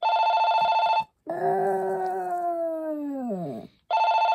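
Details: A Maltese named Poppy holds one long, steady howl that slowly sinks in pitch and fades, framed by bursts of a trilling electronic ringtone before and after.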